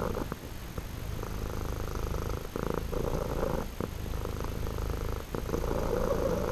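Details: A male house cat purring with a two-tone purr, likened to a little engine running; a steady low rumbling drone that alternates between two tones with each breath, brief breaks between cycles.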